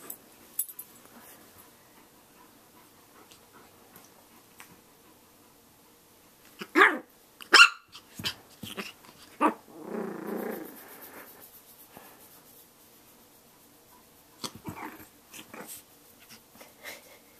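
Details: Shih Tzu puppy attacking its own reflection in a mirror indoors, with a Rottweiler joining in; a few sharp bark bursts midway, then a low rumbling growl, followed by scattered quieter yaps and rustling.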